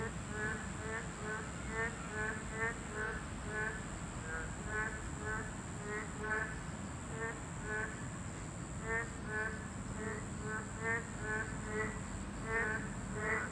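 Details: Boreal digging frogs, a level-2 protected species, chorus at their habitat with short, nasal, bleating calls repeated in overlapping rhythmic bursts.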